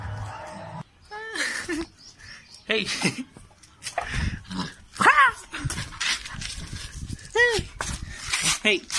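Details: A Labrador puppy named Shiro gives high, yelping barks, each rising then falling, while a person talks nearby.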